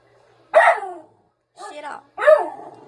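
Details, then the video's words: Bratty pet dog in the Philippines talking back and getting salty: three short, harsh, grumbling barks, each under half a second, separated by brief silences, with a person's voice nearby. "Bratty dog talking back and get salty!!"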